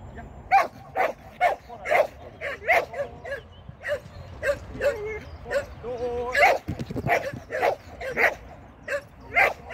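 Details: Shetland Sheepdog during a training session on 16 May 2023, giving sharp, high yipping barks in quick bursts roughly every half second, with a person's voice heard briefly between them.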